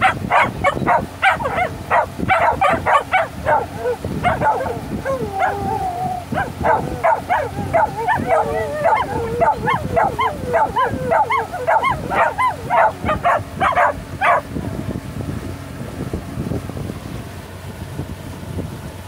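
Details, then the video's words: Happy Shetland sheepdogs aboard a boat on their first ride of the season, mixing fast yelps with wavering drawn-out howls for about fourteen seconds before the chorus fades to boat and wind noise. "Happy Shelties Howling on the Boat"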